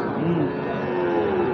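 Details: Gir and Sahiwal breed bull calves at Ambari market (haat); a low, drawn-out lowing call with a slowly wavering pitch fills the short stretch over a steady background of crowd chatter and market noise.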